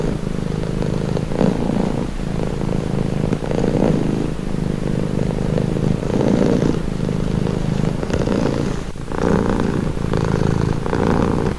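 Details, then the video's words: Close purring from a domestic cat: a low, rolling, vibrating hum pulsing with its breathing, roughly every two seconds. "Purring cat"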